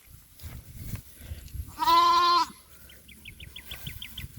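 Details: Goat on a small goat farm, calling while its keepers search for a missing kid: one loud, steady, nasal bleat lasting about two-thirds of a second, then a quick series of short, high, rising chirps over faint rustling.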